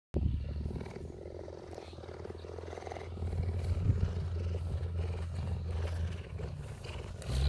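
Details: Happy cheetah in South Africa being cuddled by a woman, purring in a steady, deep, continuous rumble that swells slightly louder midway, with faint rustling throughout.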